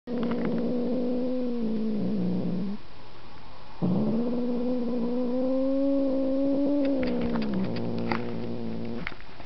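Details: Markus, a house cat, gives two long drawn-out yowls, each steady and slightly wavering for several seconds with a short silent gap between them, ending in faint clicks.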